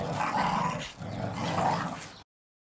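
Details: Staffordshire Bull Terriers play in the garden, destroying their first Christmas ball. Two throaty, sustained growls of about a second each, rumbling low with a raspy edge, then sudden silence.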